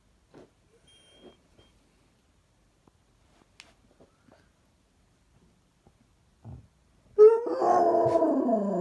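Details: Basset Hound indoors: soft snuffles and small clicks for several seconds, then a sudden loud, full howl that wavers and falls in pitch.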